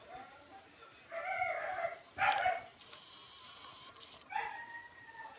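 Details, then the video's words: Six-day-old Shiba Inu puppies crying, three short bursts of nasal squeals, the middle one loudest, separated by quiet pauses. "les chiots shiba Ôkami & Ikkyu 6 jours"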